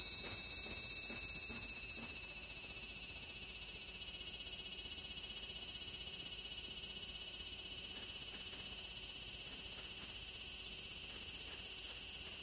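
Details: Loud cicada of the Japanese summer producing an intense, sustained metallic buzz, very high and even in volume throughout, its texture carrying a fine rapid pulsing, with faint ticking noises far beneath.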